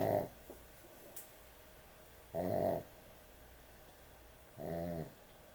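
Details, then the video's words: Loud snoring from a sleeping dog at bedtime, three buzzy, rumbling snores repeating roughly every two and a half seconds with quiet pauses between, indoors. "코골이 강아지의 취침시간"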